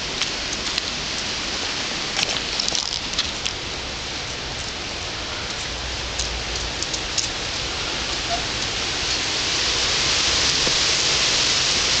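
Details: Steady hiss of rain falling on a surface, swelling slightly louder near the end, with a few faint knocks and no animal sounds.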